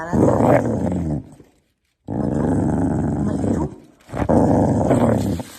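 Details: Corgi dog growling in three long, low, rumbling bouts separated by short silences, indoors in a small room.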